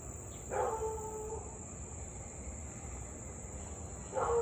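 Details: Louisville Siberian Husky, recorded 3 August 2021 at 6:24 pm during nearly half an hour of nonstop barking and howling; one drawn-out, level, harmonic wail lasting about a second, then another starting near the end, with constant high insect buzz behind.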